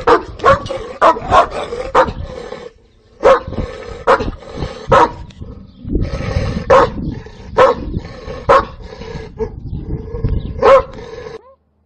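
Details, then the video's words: Domestic dog from a compilation of breeds barking angrily and loudly: rapid, harsh barks in quick bursts, about a dozen over twelve seconds, with a short pause near three seconds and background noise between barks. "Different dog breeds barking noises with pictures – dogs barking angry and loud sounds"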